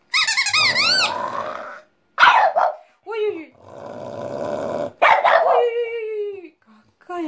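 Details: Domestic female French Bulldog 'singing' with a toy pipe, head thrown back: long shrill warbling pipe notes alternate with two gruff barks, each trailing into a falling moaning howl.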